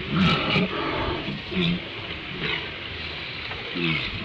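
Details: Walruses on Round Island at sunrise give short, deep, throaty grunts and bellows over steady wind and surf.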